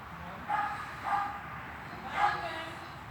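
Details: Swiss dog barking at training inside a hall on 13 August 2021; three separate barks spaced over about two seconds, the last one loudest, against a constant low room hum.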